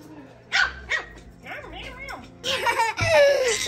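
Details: Teacup Yorkshire Terrier puppies playing roughly with each other and with small children, giving short high yips and squeaky rising-falling whines, followed by louder harsh yelping, with human voices mixed in.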